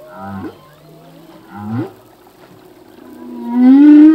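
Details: Humpback whale song from a male: two short rising upsweeps with low grunts, about a second and a half apart, then a loud, long, slowly rising harmonic moan at the end, over faint sea hiss.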